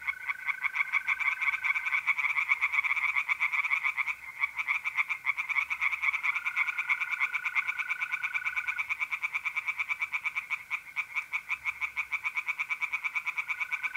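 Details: Night chorus of tree frogs at a pond in north-east Italy in mid-April, dense rapid croaking pulses running almost without break, with a smooth sustained mole cricket trill coming and going beneath.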